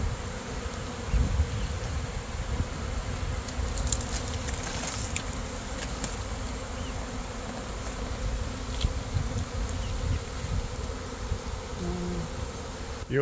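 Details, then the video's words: Massive honey bee swarm, roughly 15,000 to 20,000 bees including the queen, being shaken into a box for rehoming; dense continuous low buzzing throughout, with a few brief clicks and knocks from handling the box. "Saving the Buzzing Bees"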